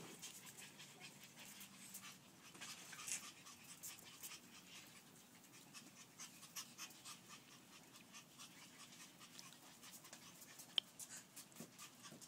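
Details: French Bulldog puppies at play indoors, soft rapid panting breaths running steadily throughout, with faint scuffling clicks and an occasional sharp tap.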